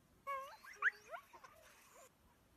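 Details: Greenland dog pack in Greenland giving overlapping wavering whines and howls, several voices sliding up and down in pitch at once for about two seconds.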